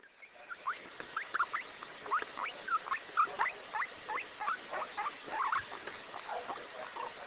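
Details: A male guinea pig gives quick, repeated squeaky chirps, several each second, as a happy sound.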